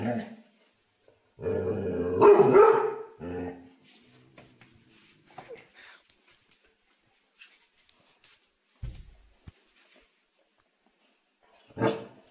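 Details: Happy dogs barking for fun indoors: a loud, rough burst of barking around two seconds in, then scattered softer noises and one last sharp bark at the end.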